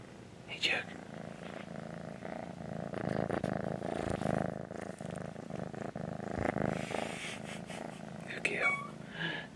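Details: Tortoiseshell kittens talking to their owner indoors: a few short rising meows near the start and end over a steady low purr, with soft speech in the background.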